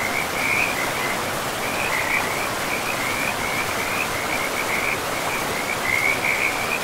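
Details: Forest river frogs producing a sustained high chattering trill broken by brief pauses, set against constant hissing water noise.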